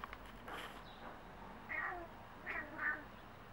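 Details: Domestic cat talking to birds gives three quick, clipped meow-like chirps close together near the end, after a stretch of soft rustling and faint background noise.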